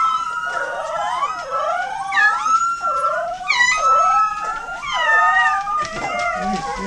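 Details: Eight 18-day-old Golden Retriever puppies at home howl together after hearing a passing fire truck siren: overlapping wavering, rising and falling whiny howls in several voices, with a steady siren-like tone running beneath.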